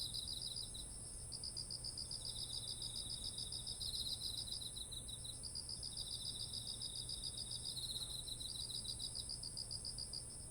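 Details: Autumn insects calling beside ripe, heavy-headed rice fields in Japan, recorded on a ZOOM H1essential: overlapping high pulsed trills in long bursts, several callers at once, a steady very high shrill band above, and low rumbling background noise.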